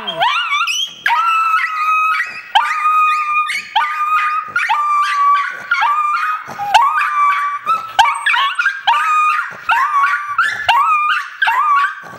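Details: Several chihuahuas howling together in a repeated, wavering, rising-then-level pattern, each howl lasting about a second with brief breaks between.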